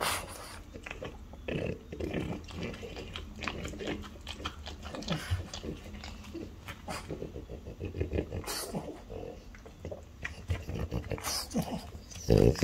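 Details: A French Bulldog, one of a mother (5 years) and daughter (3 years) pair, chews noisily on pork tongue, with wet clicks, snuffles and low grunting snorts throughout.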